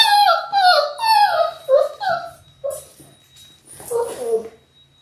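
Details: Six-week-old Labrador Retriever puppies from a litter of six born January 18, 2022, filmed indoors on a live puppy cam. High, harmonic whines and whimpers, several sliding downward, come in quick succession, then a softer, lower squeal near the end.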